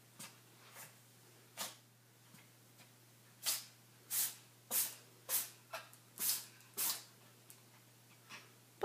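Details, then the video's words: Charlie, a tuxedo cat, keeps sneezing in a fit: a dozen or so short airy bursts, spaced irregularly and then bunched closer together in the second half, over a faint low electrical hum. "Tuxedo Cat Charlie Epic Sneeze"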